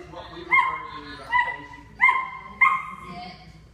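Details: Havok, a nine-week-old German Shepherd puppy, recorded in 2014 during obedience training: four short, sharp, tonal yapping barks with clear harmonics, spaced about three-quarters of a second apart, over a quiet background.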